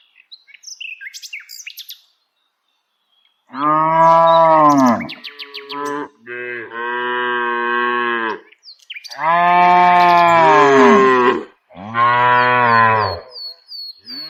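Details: Dozens of tame village cows walking while being herded. Several loud, drawn-out moos follow each other with short gaps, some rising then falling slightly. Faint bird chirps are heard at the start.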